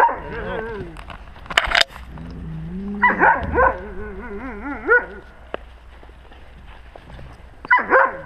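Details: Wolves among the pack, captured with a GoPro at wolf level; whimpers and short wavering cries come in clusters, broken by a sharp clatter and stretches of quiet.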